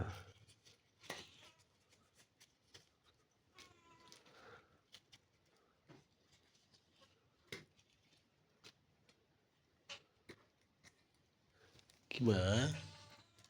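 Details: Helpless cat being given food indoors; soft, faint mewing near the start and middle, then one loud, drawn-out harmonic meow rising and falling near the end, amid quiet clicks and rustling.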